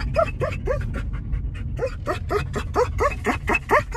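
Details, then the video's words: Excited German Shepherd going for a car ride to grandma's house, whimpering in quick rising yips, about two per second, with brief bow-wow-like bursts. Low vehicle rumble underneath. "German Shepherd Excited To Go For A Car Ride"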